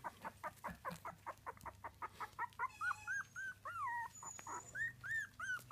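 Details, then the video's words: Several three-week-old Miniature Dachshund puppies make short clipped peeps. These build into longer rising-falling whines, repeated quickly, with one thin high whistle-like note partway through and a faint background hum. "3 Week Old Miniature Dachshund Puppies"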